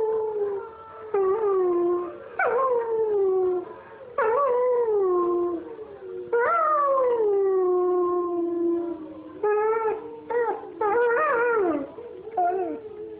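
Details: A young German Shepherd still perfecting its howl howls along to wolves at night: long, wavering, downward-sliding notes broken by short yips and whines.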